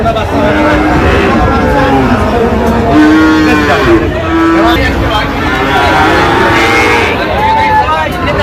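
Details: Sahiwal breed bull calves bought at a market in Chuadanga, Bangladesh, 19 August 2025: long, flat, low lowing calls come one after another, with some higher, rising moos, over constant talking and traffic.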